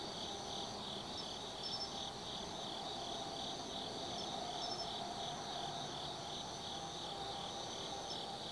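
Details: Autumn insects singing at night in the Tsukimi Forest, Kaizu, Gifu Prefecture, Japan, above the Nobi Plain: a steady high chirring band with pulsed trilling layers and a faint higher repeated note, over a low hum of distant traffic.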